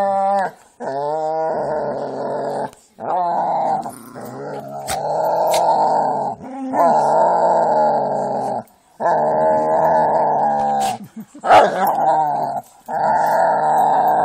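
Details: Jack Russell and pit bulls playing, trading long sustained rumbling growls in repeated bouts of a few seconds each, separated by brief gaps, with occasional sharp yips and scuffles.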